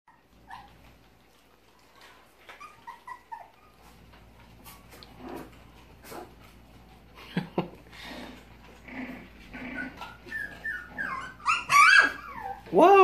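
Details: Havanese puppies, five weeks old, around feeding time, giving scattered soft whimpers and short yips that build into louder, rising squeals near the end, with a person talking to them.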